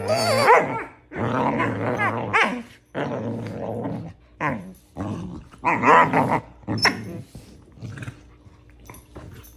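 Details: Doberman Pinscher puppy in play fighting, giving a series of short, harsh growls and snarling barks in bursts about a second apart, with brief pauses between, indoors.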